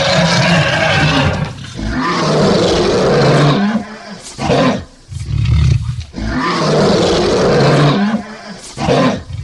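A lion gives deep, rasping roars in long, powerful bursts separated by brief pauses.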